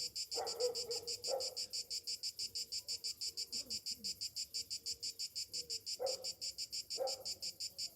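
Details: Summer-morning cicadas drone in a high, evenly pulsing buzz, with a few brief lower scratchy bursts near the start and end and faint soft sounds in between.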